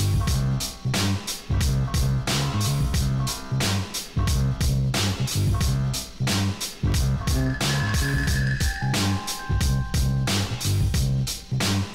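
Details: Upbeat funky music with a steady thumping bass beat, guitar riffs and sustained synth tones throughout; no animal voice is heard.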